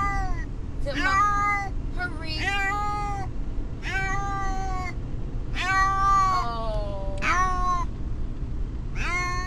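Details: Distressed pet cat, a male, travelling by car to the vet, meowing repeatedly: about seven drawn, wavering harmonic cries, some two-syllabled, spaced roughly a second apart, over constant low road noise.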